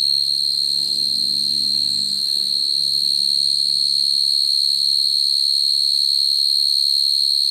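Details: Field cricket calling to attract females, a recording used for trapping crickets, taken at night. A steady, high, pure-toned trill runs unbroken throughout, with a fainter overtone above it and a soft low hum at the start.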